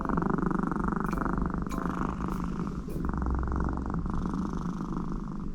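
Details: American Shorthair cat Connie purring loudly, like snoring, while seeking affection on her owner's lap during work. The purr is a deep, steady, continuous rumble with a fast, even pulse. A few brief clicks are heard.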